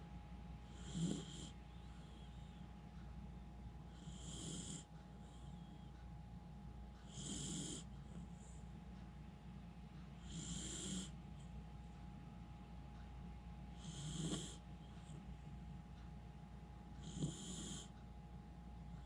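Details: Jiiji, a Miniature Schnauzer, snores in a deep sleep after tiring out, though he usually wakes at small noises. Six soft, airy snores with a hissing edge come about every three seconds over a steady low hum.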